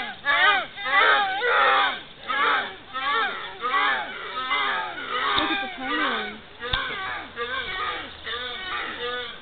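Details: Several fallow deer at an animal park in Pennsylvania give short, hoarse, arching barks, overlapping in a steady chorus, with young fawns lying nearby.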